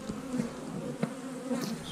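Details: Slightly hostile honey bees from a freshly opened hive on March 10th: even low droning buzz, with a few short rising whines as single bees fly past and a soft click.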